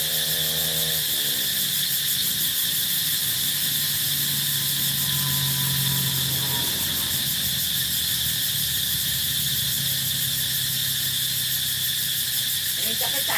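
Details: An evening cicada chorus, which sings at regular times in the morning, midday and evening, rings out as a continuous shrill, buzzing drone that pulses slightly without pausing, over a low hum, with a brief voice at the start.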